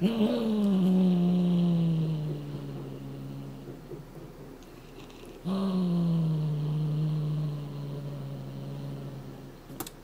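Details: Chouchou, a Somali cat, gives low threatening growls indoors, guarding a foxtail cat toy from being taken; two long, steady rumbles, each starting slightly higher and sliding down, lasting several seconds with a short gap between.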